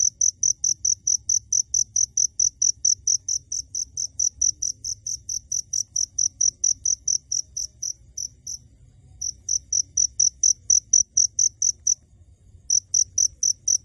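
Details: A cricket, close by but not visible, chirps in a fast regular series of high pure notes, breaking off briefly twice before resuming, low rumble in the background.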